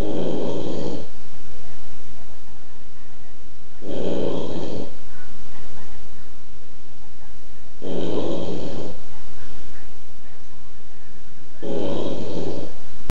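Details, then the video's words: A sleeping Boston Terrier, noisy even at rest, while a second dog sleeps unbothered nearby. Four rough, buzzing snores repeat steadily about every four seconds, each roughly a second long, with quiet gaps between them. "snoring Boston Terrier"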